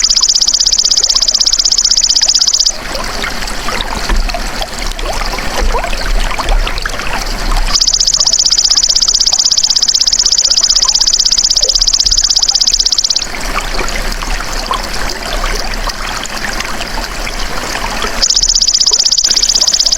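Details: Natural golden grasshopper sound for training songbirds: three bouts of loud, high, rapidly pulsed buzzy trilling, each starting and stopping abruptly, separated by spells of rushing, trickling water-like background noise.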